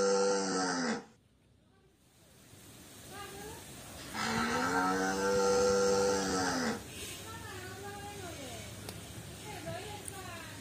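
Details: White free-roaming village cattle in a garden, friendly with people: a moo opens, a pause follows, then a second long sustained moo, with softer murmuring background sounds after it.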